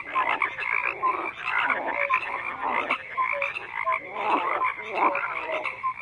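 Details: A chorus of frogs croaking together, layered rattling pulses and occasional short piping notes, steady and unbroken, swelling every second or so.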